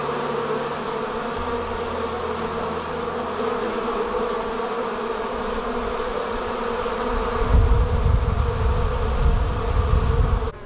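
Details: A swarm of honey bees leaving the hive makes a thick, even drone of countless wingbeats. Near the end, low rumbling bursts like wind or handling noise rise beneath the buzz.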